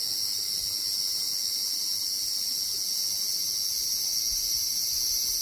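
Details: Large brown cicada song: a continuous, dense sizzling buzz held at an even loudness for the whole stretch, with no pauses and no other clear sounds.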